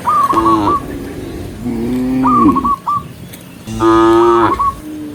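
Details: Cattle herd walking together along a countryside path toward home at sunset, mooing: three long harmonic moos, each rising then falling, with a faint whistle-like overtone.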